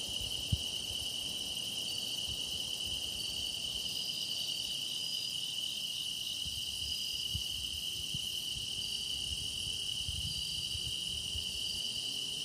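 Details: Deepening grass insect song used for meditation: steady high metallic trilling from many insects, a faint pulsing higher voice mid-clip, one brief sharp click near the start.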